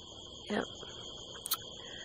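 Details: Crickets at night under a harvest moon in the California desert hills, heard from a rooftop: steady, high, continuous trilling in several layered pitches throughout, with a brief murmured voice near the start and a sharp click near the end.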